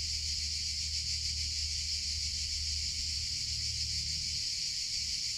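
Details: Summer cicada chorus, a continuous shrill hiss-like drone that never pauses, with a slight wavering texture and a quiet low hum underneath.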